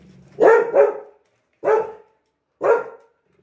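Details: Labrador Retriever named Lily, a pet dog, barking indoors: four short, harsh barks, the first two close together as a double bark, then two single barks spaced about a second apart, with low household hum underneath.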